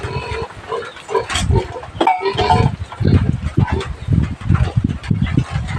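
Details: Native pig being fed taro on a Philippine provincial farm: low grunting and snuffling, a few tonal squeal-like notes early on, with human voices in the background.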